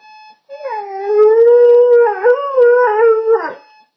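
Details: Pet dog howling at an alarm clock: a sustained, loud, wavering howl of about three seconds with small pitch bends and a falling end, over the steady tone of the alarm.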